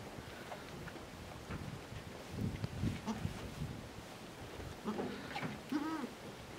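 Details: One of the first miniature goat kids born in 2019 at the Domaine des Tourelles farm, France, gives a brief nasal bleat near the end after low rustling and shuffling noises.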